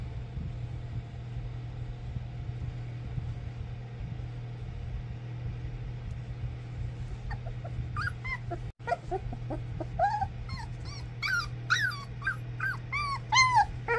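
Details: English Springer Spaniel puppies, a first litter, playing together; after eight seconds of low hum, a rush of high squeaky yips and whimpers, overlapping and rising in pitch, continues to the end over a steady background drone.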